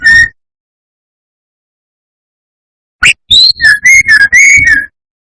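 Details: Brown-chested jungle flycatcher song used as a lure to provoke rival birds: a brief whistled note, a pause, then a lively burst of clear whistles and chirps near one pitch, with sharp high notes interspersed.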